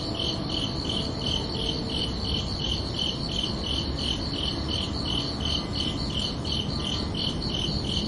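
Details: Crickets chirping under a night sky on a summer evening: steady, evenly spaced high pulsed chirps, roughly three per second, running throughout over a broad, low rushing background hiss.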